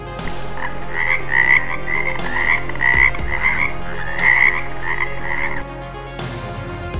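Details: Red-coloured frog calling with a quick series of short, raspy, mid-pitched croaks repeated about twice a second in two runs, with background music.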